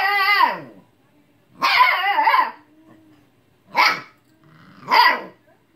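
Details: Young Siberian Husky scolding an old cat that ignores it: opens with a long, falling, woo-like howl-bark, then a drawn-out warbling yell and two short sharp barks, separated by brief silences.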